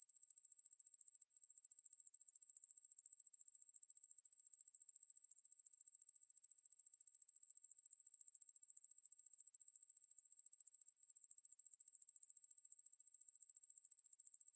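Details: High, sizzling insect trill of the katydid Ruspolia lineosa, from a 2020 National Institute of Biological Resources recording. Rapid uniform pulses run without pause through the whole stretch, with tiny dropouts near the start and end and nothing else audible.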